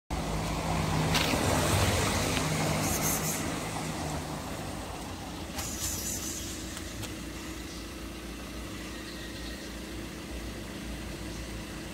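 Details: Street traffic noise from passing vehicles, a steady roar with brief louder swells, and no animal voices heard.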